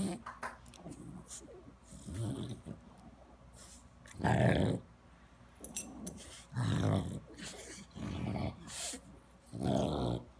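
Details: French Bulldog in Palo Alto, California, making deep throaty grunts and growly snorts, several loud bursts about every two seconds, separated by quieter snuffling and breathing.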